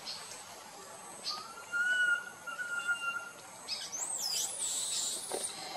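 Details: Small monkey on the move with its group lets out one long, level whistled cry, then fades. Looping high bird chirps and twitters follow toward the end.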